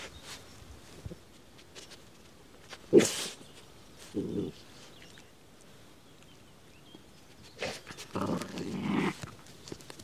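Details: Patterdale terriers Tangle, a six-month-old female, and Tink, a 2.5-year-old female, dig in mole hills outdoors; short rough growly bursts come at intervals between scratching and scuffling noises.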